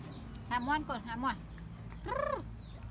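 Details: Baby monkey Bella crying loudly when her mother does not take care of her: three quick arched, tonal wails that rise and fall, a short pause, then one longer drawn-out wailing cry over low background rumble.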